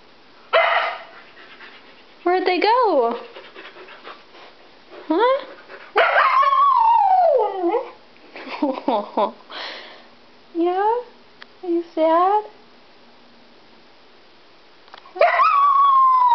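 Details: Husky Iris, upset at being left home while others went to PetSmart, answers in a series of swooping, wavering whines and howl-like calls, some rising and dropping sharply, alternating with a person speaking to her.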